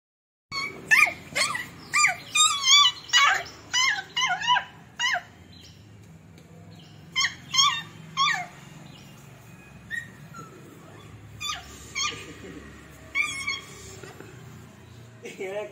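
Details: Beagle puppy named Jerry and a Labrador puppy playing together indoors: bursts of high, squeaky yelps and whiny squeals come in quick runs over the first five seconds, then in shorter clusters with quiet gaps between.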